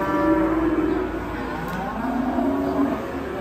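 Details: Cow raging because of a tight neck rope. Steady low, drawn-out bellowing runs through the short stretch, rising slightly at the end, over background music and murmured voices.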